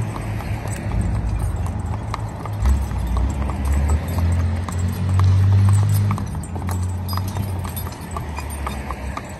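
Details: Driving team of two spotted draft/Haflinger cross horses, traffic safe and used for farm work: brisk clip-clop hoofbeats repeating several times a second, layered on a heavy low rumble that swells midway.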